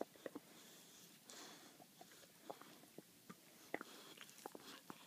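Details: Baxter, a boxer dog, gnawing on his bully bone: sharp, irregular crunching clicks and gnaws scattered through a few seconds over a low, quiet background.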